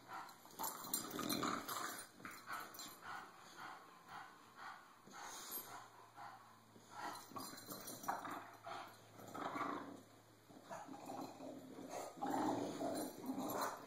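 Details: Cisco, a bulldog that gets tired of being bullied, produces a rapid irregular run of rough growls and short bark-like grunts through most of the stretch, with scuffling and a faint background hum.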